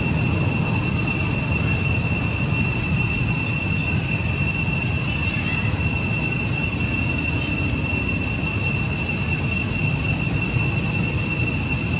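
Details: Continuous low rumble of a train or heavy vehicle fills the recording, overlaid by steady high-pitched tonal whines. No animal voices can be picked out.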